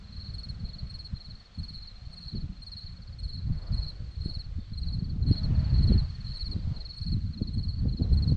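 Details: Crickets chirp on a hillside in Zorlesti, Romania, a shrill pulsed note repeated in short steady bursts, partly masked by heavy low-pitched wind rumble that grows toward the end.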